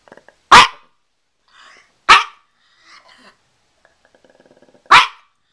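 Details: A small Pekingese, recorded September 28, 2010, gives three loud, sharp, high yappy barks spaced about one and a half to three seconds apart, with faint softer rustles and low muffled sounds between them.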